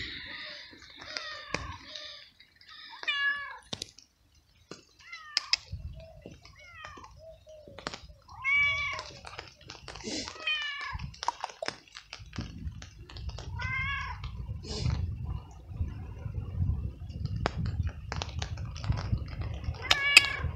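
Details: Scared stray feral cat, cold, wet and hungry, following a person in the rain and meowing very loudly; drawn-out falling meows repeat every second or two, with rain and low rumbling beneath and clicking noises throughout.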